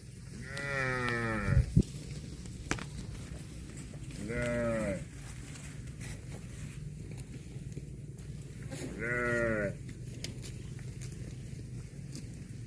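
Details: Cow eating grass gives three harmonic moos, each about a second long and falling in pitch, spaced roughly four seconds apart over a steady low rumble of background noise.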